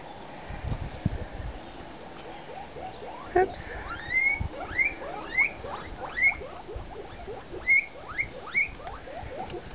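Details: Guinea pigs giving a series of steeply rising, whistled squeals, each climbing to a high peak, repeated roughly once a second after a few low thumps and rustles at the start.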